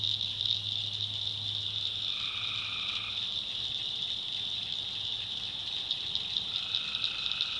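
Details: Night chorus of tree frogs from North Carolina backwoods swampland: continuous shrill, rapidly pulsed trilling, with two longer level notes, one near the middle and one at the end, and a steady low hum underneath.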